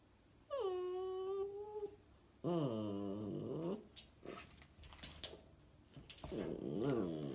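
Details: Samoyed vocalizing indoors in a small room: a drawn-out tonal howl with a bright stacked harmonics, then a second wavering, bending howl, followed by scuffling and a softer third moaning howl near the end.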